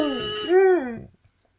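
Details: Max, a pet dog, howling along to a kazoo: a buzzy, harmonic-rich kazoo tone gives way to a smooth howl that arches up and falls away over about half a second, then quiet.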